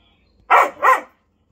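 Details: Male Whippet barking in an impromptu play game; two quick loud barks in close succession, clean with no other sounds.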